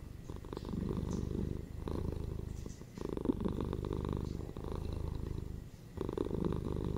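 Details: Relaxed domestic cats, one ginger male and one female, purring steadily at home, a low throbbing hum rising and falling with breathing, four or so breath phases over seven seconds.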